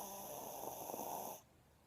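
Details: Pet dog Cooper snoring while asleep with his eyes open; a soft, raspy breathy snore lasting about a second and a half, then quiet.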